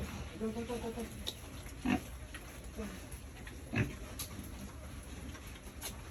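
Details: Farm pigs raised for sale by a family with twenty years of pig-raising experience. Short low grunts sound near two and four seconds, with a faint harmonic vocal sound early on over steady background hum.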